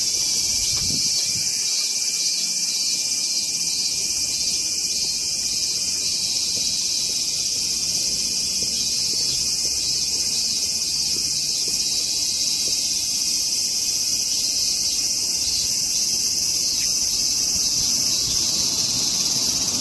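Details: A steady, high, shimmering buzz comes without a break from a calm Hyalessa maculaticollis cicada, filmed in macro during its feeding pause, and holds level throughout.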